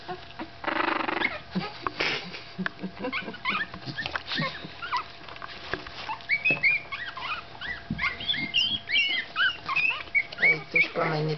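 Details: Staffordshire Bull Terrier puppy at 15 days old, giving thin, high squeaky whimpers that bend up and down in pitch and come in a quick, uneven run during the second half; a man talks and handling noises sound early on.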